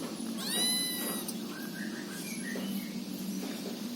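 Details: Angora cat giving one high, drawn-out meow with clear ringing harmonics, followed by faint short squeaky sounds, over steady low background noise.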